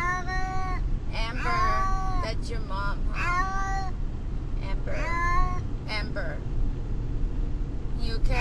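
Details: Brutus the Beefcake, a pet cat, distressed in a vehicle on the way to the vet, gives a run of harmonic meows, some short, some drawn out and wavering, over a steady low engine rumble; people speak in the background.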